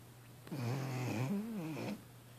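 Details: Six-month-old female Vizsla asleep after a workout at the beach in Brigantine, New Jersey, worn out by a four-year-old dog: one long, low, wavering groaning snore lasting about one and a half seconds over a steady background hum.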